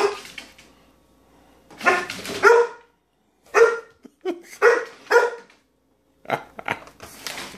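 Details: English Springer Spaniel, about a year old and scared of apple pears, barking in short sharp bursts: single and paired woofs spread over seven seconds with brief silences between them, loud and close.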